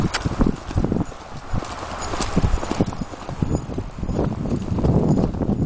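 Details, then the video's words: Hooves of a ridden Appaloosa mare cantering and galloping, recorded 2010-2011 around Sherman and Riverside Park trails; heavy low thumps in quick rolling groups of three to four, with a continuous rushing background. "Run Appaloosa Run"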